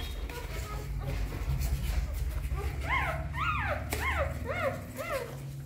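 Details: Newborn puppies feeding from their mother: a short run of about half a dozen evenly spaced, rising-and-falling squeaks over a heavy low rumble.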